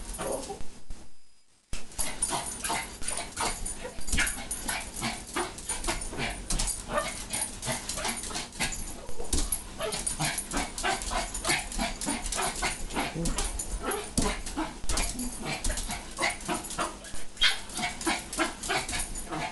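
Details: Steady, rapid yipping and whimpering from Ginny the Pomeranian, jumping about indoors while food is promised, repeating several times a second over clattering footfalls. A person's voice mentions food.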